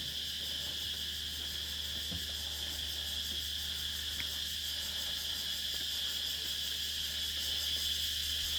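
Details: A steady, shrill insect chorus buzzes continuously at high pitch over a faint low hum at dusk on Nang Yuan Island; the insects fall silent as someone walks past.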